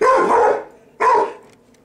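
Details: Indoor pet dog reacting to a vacuum cleaner, giving two loud, rough barks about one second apart, the first longer and drawn out, the second short and clipped.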